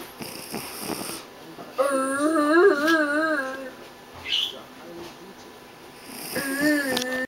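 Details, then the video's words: Milkshake the dog snoring: two drawn-out, whistly nasal tones with a wavering pitch, the first lasting about two seconds and a shorter one near the end, with a soft breathy hiss between them. "Dog Snores"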